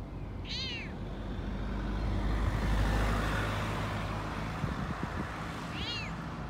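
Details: Frodo, a Toyger cat, talks excitedly while out on a walk: two short arched meows, one near the start and one near the end, separated by a stretch of low traffic-like rumble.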